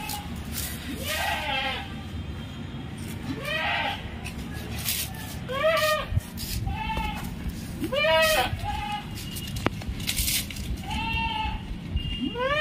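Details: A Punjab Barbari milk goat kept at home in India, with seven teeth and cutting its eighth, gives short nasal bleats every second or two, rising then falling, over background hum, a man speaking Hindi and faint music.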